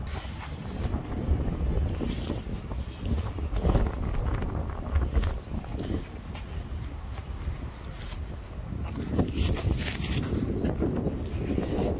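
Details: Strong wind buffeting and low rumbling, with faint speech and no animal sound.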